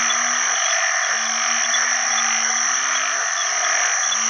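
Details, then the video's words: Banded bullfrogs (house type, called อึ่งขี้ค้าน in Isan) calling for mates in water after heavy rain at the start of the rainy season. Low, moaning harmonic notes about a second long overlap under a dense, shrill chorus of other frogs and insects. "อึ่งอ่างร้องหาคู่ bullfrog call"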